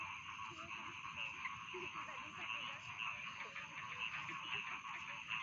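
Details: A rice field frog chorus offered as sleep sounds: overlapping croaks and rattling trills blend into an unbroken mid-high hum, with scattered brief chirps rising above the steady wash.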